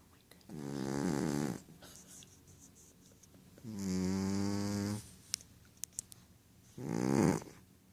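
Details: Rohan, a male Ragdoll cat, sleeping deeply through a dream, gives three long, rough, droning snores about three seconds apart; small taps and clicks sound in the pauses.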